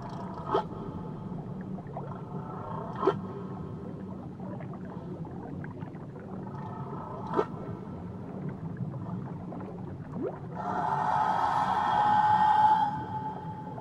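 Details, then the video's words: Near Tahiti a whale voices a few short pulsed knocks and faint tonal fragments, then a strong, even, harmonic-rich wail lasting about two seconds near the end over a constant low ocean hum. "Nature Sounds Only Whales & Beaches"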